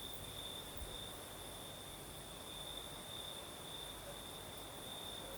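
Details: Singing crickets on a southern Crimean night with a light breeze, giving a continuous high monotone trill with brief brighter pulses, a faint very high band, and soft even wind noise beneath.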